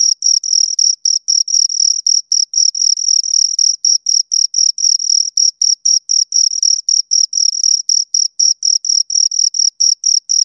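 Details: Continuous chirping from two crickets, sharp high notes pulsing regularly about four times per second, loud and close, free of other sounds.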